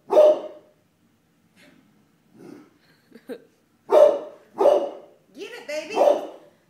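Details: A pet dog barks at a floor mat. Five short, punchy barks come in an uneven series, two close together near the end. A woman's voice talks softly in the gaps.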